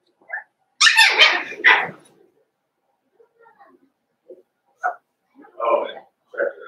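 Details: Five-week-old Cavalier King Charles Spaniel puppies from Daisy's litter in an indoor puppy pen: a loud, shrill burst of overlapping yips and barks early on, then scattered softer whimpers and short yelps amid quiet gaps.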